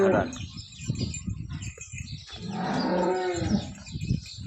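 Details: Large, gentle Holstein Friesian cow yielding 20 litres, in Sinnar, Nashik district; after rumbling handling noise, one mid-length moo rises and fades, with background rumble throughout.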